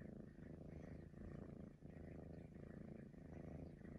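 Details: Purring Maine Coon cat, a breed said to whistle: a deep, continuous rumble rising and falling with each breath, roughly three cycles in four seconds, with a slight dip in loudness midway and faint airy overtones above.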